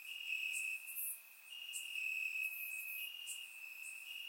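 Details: Nighttime cricket chorus in grass in Bulgaria on a warm summer night, recorded with a surround microphone. A sustained, shrill trill runs almost without a break, dipping briefly once, with a few high clicking notes above it.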